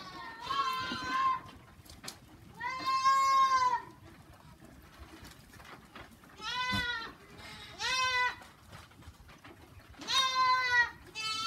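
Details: Goats on a simple farm bleating in loud, wavering, harmonic calls of about one second each, around five bleats spaced irregularly across the stretch, with quiet gaps of faint background noise between them.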